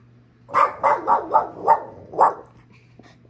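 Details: Boston Terrier dog barking while working on a treat puzzle: six short, sharp barks in quick succession over about two seconds, with a low steady hum underneath.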